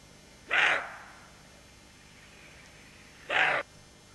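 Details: Roe deer doe on alert beside her fawn, giving two short, harsh, breathy barks roughly three seconds apart, each loud and abrupt against a quiet background.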